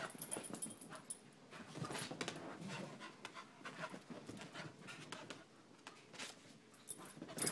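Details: Quick, raspy panting fills the clip, from a dog in a home shared by a 10-month-old puppy and a 12-year-old chihuahua. The breaths come in uneven clusters, louder early and late.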